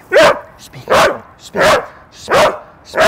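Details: A dog barks sharply on a "speak" cue during training, about one bark every three-quarters of a second, each marked and rewarded.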